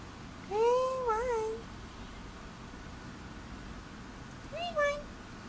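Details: Black and white female cat with a sore throat gives a drawn-out, wavering meow that dips and rises, then after a pause a second, shorter meow, over a low steady background hum.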